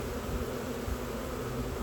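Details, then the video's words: Swarm of honey bees in a box, gentle and handled without a suit; a steady, even low drone of many wingbeats fills the whole stretch with no other sounds. "Bee SWARM!"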